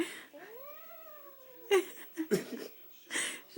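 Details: A domestic cat gives one long, drawn-out meow that rises then slowly falls, followed by sharp clicks and bumps of handling noise and a person speaking.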